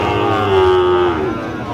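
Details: At a Mymensingh cattle market in Bangladesh on 19 April 2025, a Sahiwal bull calf gives a steady, level moo that holds for about a second before tailing off, with market murmur underneath.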